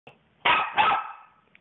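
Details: Puppy, confused after popping its favourite pink balloon, gives two quick sharp barks in close succession, followed by a fading tail and brief silence.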